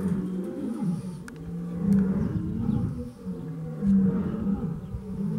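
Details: Zoo lion in Iran roaring near an unafraid caged chimpanzee, heard as low, throaty grunts in an uneven series, about one every two seconds, some drawn out and swelling before fading.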